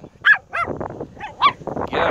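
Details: Chihuahua hunting crabs: a few short, high-pitched yaps spaced irregularly, mixed with soft voices and a burst of hissing noise at the end.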